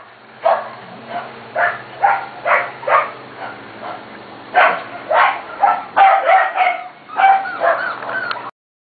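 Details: Corgi puppies almost seven weeks old from the Katie and Venus litters, recorded 28 June 2013, give a run of short, high, tonal yips and whiny barks in quick clusters of two to four, over a steady low hum.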